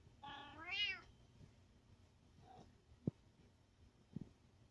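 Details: A cat seeking attention gives one clear harmonic meow near the start, rising then falling, followed by a faint short call and a few soft clicks and knocks in a small indoor room.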